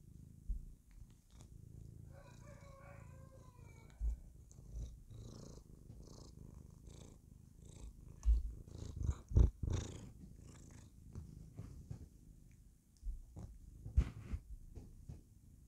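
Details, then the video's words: Happy female house cat purring as she clowns around indoors; continuous low purr with scattered bumps and rustles, a brief tonal whine early on and several sharp knocks midway. "Kitty Cat is happy when she clowns around"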